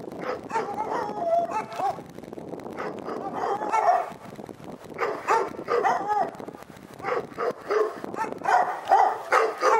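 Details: Dog barking at Pyrga, repeated yelping barks over a constant noisy background hum, coming about two to three per second in loose groups.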